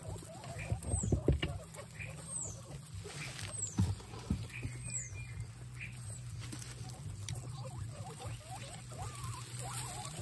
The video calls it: Exited Guinea pigs make noises